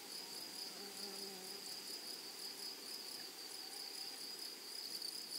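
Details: Meadow grasshoppers keep up a continuous shrill trill, a bright high band with a pulsing upper tone, while brief low tonal notes pass early on against quiet rustling background.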